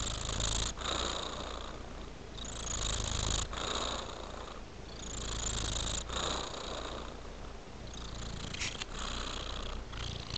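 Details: Domestic cat relaxing on a fur rug, purring steadily; the low rumble swells and fades in slow cycles every couple of seconds, with breathy bursts and faint rustling indoors.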